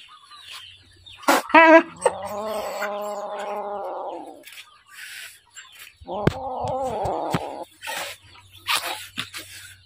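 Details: Hungry little kitten giving a sustained, nasal wail held steady for about two seconds, then a shorter, rougher cry, with a few sharp clicks and knocks in between.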